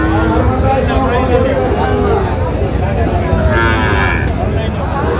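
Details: Sahiwal calves for sale at a Bangladeshi cattle market in Dinajpur; a brief moo swells near the end among constant crowd babble, talking buyers and low vehicle hum.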